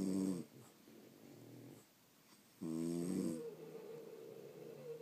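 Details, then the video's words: French Bulldogs asleep indoors, pet dogs recorded during an hour-long nap: two loud rattling snores, one at the start and a longer one near three seconds, separated by quiet breathing. "Snoring French Bulldogs"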